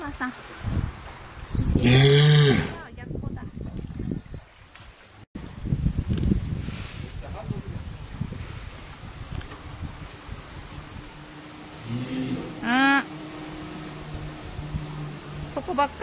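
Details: A female walrus at an aquarium, relaxing near closing time, gives two low, moo-like bellows, each under a second and rising slightly, amid a murmur of people and splashing.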